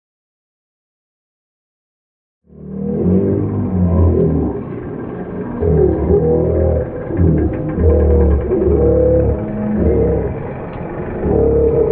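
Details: Silence for two and a half seconds, then loud guitar-led music with a bass line fills the rest.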